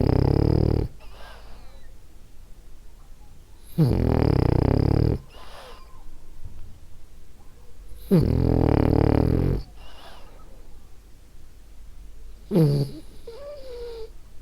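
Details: French Bulldog Ariva, a female, snoring while asleep indoors: loud, rough, low rumbling snores about every four seconds, each lasting over a second, with soft breathing between them.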